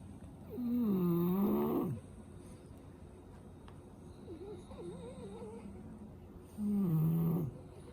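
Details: Asleep with a congested nose, a French Bulldog from a group of five male siblings gives two loud, rasping, moaning snores about five and a half seconds apart, with a fainter wavering snort between them in a quiet room.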